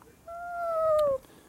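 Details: Jaba the cat, perched on a high, tiny place, gives one drawn-out meow lasting about a second: a steady, clear tone that sags gently in pitch before stopping abruptly, over a faint background hum.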